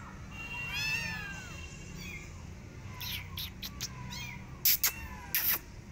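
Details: Persian cat and adopted kittens out in a garden, watching rabbits; a pair of high, bending meows early on, then softer mews mixed with sharp rustling clicks toward the end.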